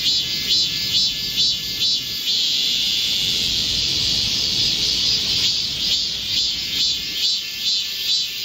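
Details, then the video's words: Korean cicadas in chorus in a midsummer green forest, heatwave, 25 July 2024. A loud, strident, somewhat lower buzzing chorus pulses rhythmically, about twice each second, with no other sounds standing out. "Korean cicadas, a chorus in a midsummer green forest | 한국 매미들의 한여름 초록 숲속의 합창"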